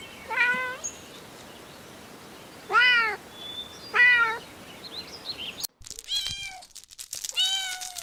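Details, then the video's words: While stalking and chasing butterflies on the grass, kittens utter separate, evenly pitched meows spaced a couple of seconds apart, followed by a few higher, thinner calls after an abrupt cut. "Adorable Kittens Stalking and Chasing Butterflies on the Grass – Meowing Sounds"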